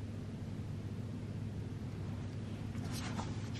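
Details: Quiet indoor room hum with a low rumble and a few faint clicks near the end, without any animal call.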